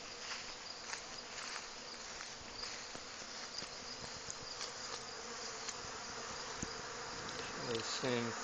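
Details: Honey bees robbing a weaker hive in a dearth; steady massed buzzing with individual bees zipping past in brief louder bursts, plus speech near the end.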